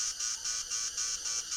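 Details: A cicada in a forest sits on tree bark singing; a male's loud mating call to attract a mate, made by tymbals on the abdomen, a loud, high, shrill buzz pulsing in rapid surges about three or four times a second.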